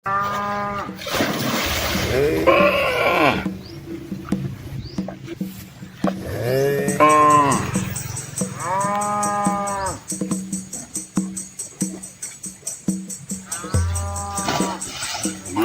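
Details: Red Asian village cows, a large herd with calves, crossing a small river in rural Asia; several long, arching moos, some rising then falling, some deep and drawn out, over a steady low hum and regular high ticking.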